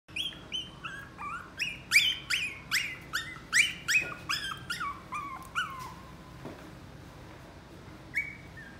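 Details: A Chihuahua at a pet shop gives a rapid run of thin, high yips, each sliding downward.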